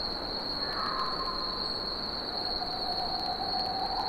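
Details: Cicadas singing in summer: one unbroken, steady high-pitched drone holds without pause. Fainter, lower whistled tones drift underneath, sliding gently downward through the middle of the recording.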